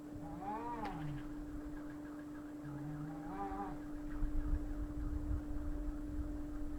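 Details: Fighting cats: a drawn-out harmonic yowl near the start, a second wavering yowl after three seconds, low rumbling growls beneath, and a steady electrical hum throughout.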